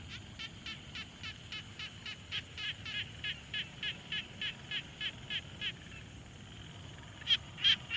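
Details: At a quiet pond, a frog repeats short grating pulses at a steady, quick rhythm, recorded with a Tascam Portacapture X6; a louder, closer burst of three notes ends the sequence.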